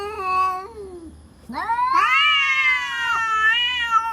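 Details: A real cat threat sound between cats: a steady low moan drops away, then a harsh, rising yowl surges up and holds loud and wavering to the end.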